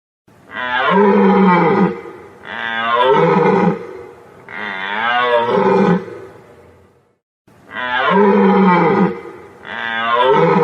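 A deer gives long, hoarse, harmonic bellows, each about a second and a half, repeated with short pauses.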